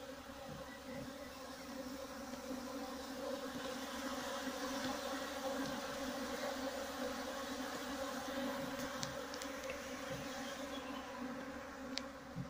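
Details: Honey bee drones flying inside a flight cage used for rearing and selecting drones for instrumental insemination of queens; a steady, dense buzzing hum of many insects with stacked low droning tones and a few faint clicks.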